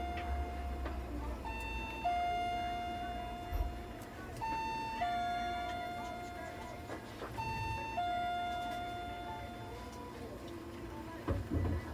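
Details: Alternating two-pitch electronic siren-like tones repeat steadily over a low background rumble, with no animal voice heard.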